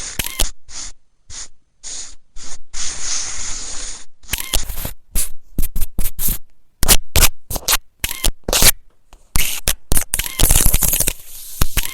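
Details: Choppy bursts of scraping and scratching noise broken by sudden silences, with faint music in places and no clear animal voice.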